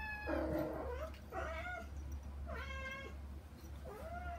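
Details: Domestic kittens, young Saba and her little sister Kagishippo, meowing to reach their mother Hana behind frosted glass; four high harmonic-rich meows, some rising then falling, spaced about a second apart over a low steady hum.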